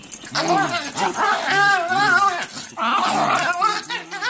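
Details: Two Schipperke dogs playing together, one making funny sounds: a continuous run of wavering, harmonic grumbling and whining vocalizations with sliding pitch, rising and falling over a few seconds, with a brief break near the three-second mark.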